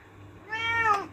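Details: Domestic cat, angry and asking for a door to be opened indoors, gives a single drawn-out meow that rises and then falls, with rich harmonics, over a steady low electrical hum.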